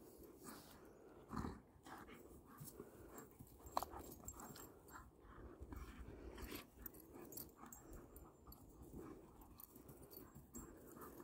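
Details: Two dogs, a Kangal and a Doberman, playing together like puppies after reuniting following a long separation; breathy, noisy panting and snuffling in an irregular run of short bursts, with occasional sharper knocks and scuffles, indoors.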